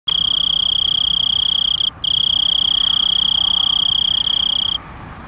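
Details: A tree cricket found at night in fields in Zillah, southeastern Washington, gives a steady, high, pure-toned trill that breaks off briefly once before stopping.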